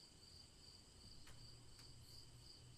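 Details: Cricket chirping continues as a thin high steady trill with faint pulses, a low droning hum and two short sharp clicks.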